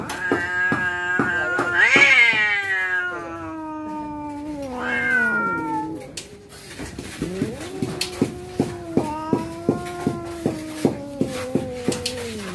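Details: Domestic cats yowling in the moments before a fight: long, drawn-out wailing tones that swell and rise sharply to a high whine, then sink into lower moaning, with a steady ticking beat running underneath in the latter half.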